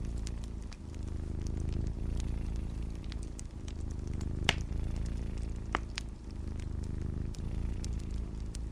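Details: Continuous deep purring from a cat mixed with a crackling fire, framed as a calm snowy-night sleep ambience; low pulsing rumble with scattered bright pops and sizzles from burning wood.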